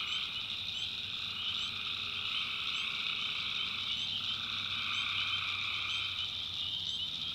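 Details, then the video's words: Night chorus of tree frogs from a swamp in the North Carolina backwoods, a continuous wall of high, buzzy trills from many frogs, one band dropping out briefly midway, with scattered sharp chirps overhead. "Relaxing Swamp Sounds at Night - Frog Heaven - Frogs"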